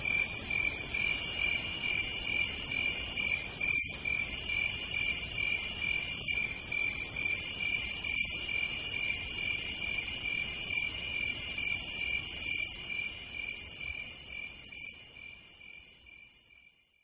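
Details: Cicadas singing through a southern night, a steady shrill trill with rhythmic bursts of higher buzzing roughly every second or two, the whole chorus fading out toward the end.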